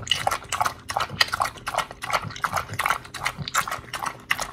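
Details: Close, juicy chomping as Oli, an American Pit Bull Terrier, eats raw fish and steak (recorded August 4, 2023): distinct moist crunches about three per second, each with a slurpy edge, nothing else clearly audible.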